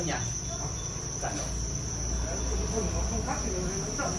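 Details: Farm-raised Thai crickets in Vietnam, many insects chirring together in a steady, unbroken high-pitched trill that runs through the whole stretch, with a faint murmur of low voices underneath.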